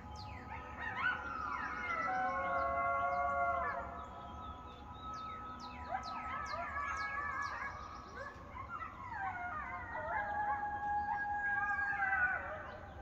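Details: Several coyotes or wild dogs howl together in response to sirens, wavering high tones and yips overlapping in a rising, falling chorus; coyote (Canis latrans) group howl.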